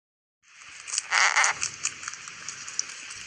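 A domestic rabbit purrs with a soft, gritty rasp of teeth rubbed gently together, a sign of contentment.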